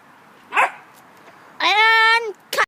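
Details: Puppies attacking a poncho; a short yelp, then a drawn-out, high whining cry lasting over half a second, followed by another brief yip.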